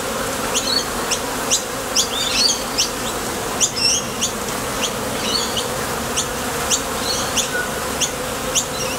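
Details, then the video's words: Bees arriving and leaving at a Top Bar Hive entrance on nectar-gathering flights. A dense constant drone with frequent bright high ticks and short chirrups, busier and more crowded than a lone insect. "Bees Sound Effects"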